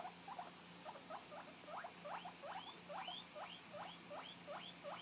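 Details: A 2-month-old male guinea pig gives loud, rapid rising wheeks, calling out after his companion was taken away.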